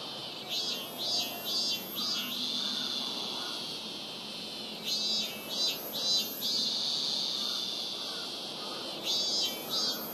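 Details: Robust cicada at Rokugo Shrine, Ota Ward, Tokyo, captured with a Sony PCM-M10 recorder. High, shrill pulses repeat about twice per second in runs, separated by a continuous buzzing drone.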